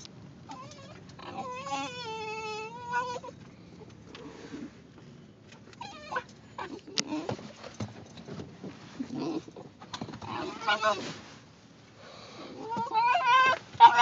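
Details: Simon, a Basenji in a car, urgently asking for a potty break as the car stops; a long wavering yodel-like whine near the start, then fainter scattered whines and a rising warbled cry at the end, with rustling and a person's voice.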